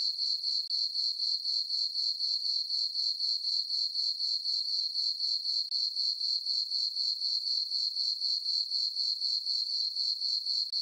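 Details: Several crickets calling through a peaceful summer night over a farm meadow with a full moon; a bright, steady trill with a regular throb of about four beats per second, otherwise quiet.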